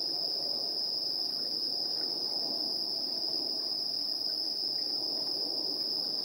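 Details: Insects calling at 7:04 PM on an evening of 3 September 2022, recorded on a handheld recorder's internal stereo microphones: a constant piercing high trill, with a thick background of quieter, lower insect chirring beneath it.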